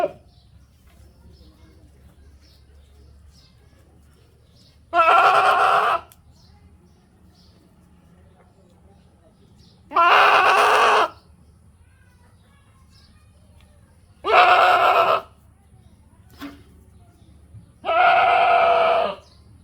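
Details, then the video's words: Goat calls: four separate loud bleats, each about a second long, spaced roughly every four to five seconds, with quiet low background hum between them. "goat sounds for babies"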